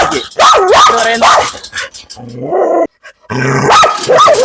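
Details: Dog during a leashed walk in Kothamangalam, giving loud, wavering whines and barks that rise and fall in pitch, broken by a short silence, with voices nearby.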